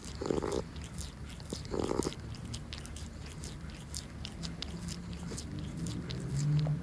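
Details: Monkey, a calico cat, mesmerised by her tuna treat, laps at it with a quick run of sharp moist ticks and smacking sounds, plus two short dull thumps near the start.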